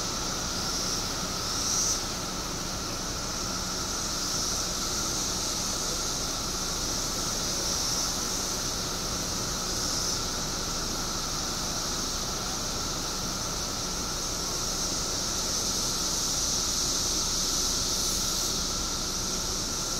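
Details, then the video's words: Periodical cicadas in Illinois, billions emerging after 17 years underground, fill the air with a steady, unbroken high hiss, with a fainter droning hum beneath; the wall of sound barely swells or fades over twenty seconds. "Billions of Periodical Cicadas Emerge After 17 Years Underground Cicadas Making Noise Illinois State"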